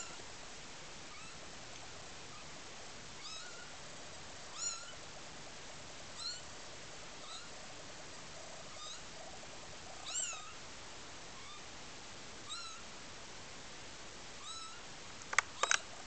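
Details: Maine Coon kittens, newborn (born 10 July 2008), give thin, high mews scattered every second or two over a soft background hiss.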